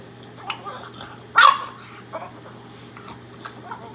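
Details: Kiiro, a pet Boston Terrier eager for microwaved Himalayan cheese, gives one short, sharp, talk-like bark midway through, over a steady low electrical hum with faint rustling.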